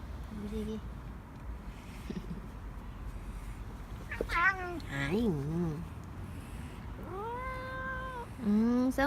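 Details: Korean shorthair house cat begging for more treats after already getting a churu, as its owner comes home from work. A short early mew, then a burst of wavering, rising-falling meows near the middle, and two drawn-out, arching meows at the end over low background hum.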